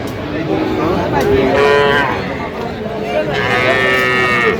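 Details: Calf moos at a Madaripur cattle market in Bangladesh, 13 January 2026, where small Sahiwal bull and heifer calves are sold; several short, nasal bleating moos rise through steady crowd babble and men talking.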